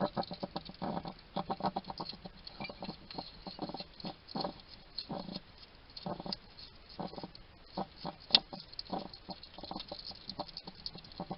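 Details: In a Somerset garden in the UK, a wild male hedgehog chats to himself while eating: rapid, rhythmic bursts of smacking, crunching chews repeating in quick runs, with brief pauses between clusters.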